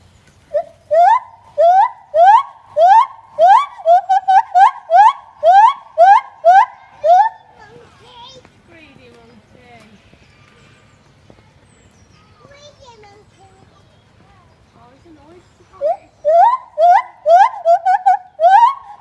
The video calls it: Gibbon Squawk